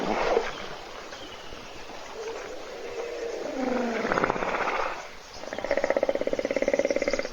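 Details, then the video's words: Hippopotamus snoring while asleep in a puddle at a webcam waterhole near Kruger National Park, South Africa, as thirsty animals wait for it to wake; an extended pulsed, vibrating rumble swells near the end after scattered rustling and other faint sounds. "Бегемот Hippo храпит в луже"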